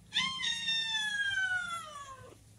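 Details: Orange kitten left by its mother, crying one long, loud meow that starts high and slides slowly downward for about two seconds before cutting off.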